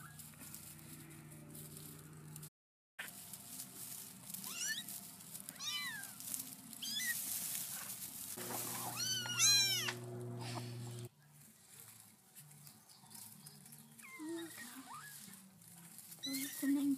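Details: Young kittens whose mother cat keeps moving them, tended by a protective Black Australorp hen; thin, high, arching mews come in short clusters over a steady low hum, fainter toward the end.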